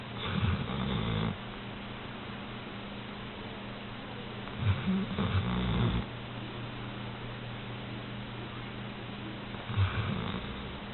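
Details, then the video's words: Female Old English Sheepdog asleep in bed, snoring: low, rough, rasping snores in bursts of one to one and a half seconds, three across the stretch, about five seconds apart, over a steady low electrical hum. "OES Snoring Beauty!"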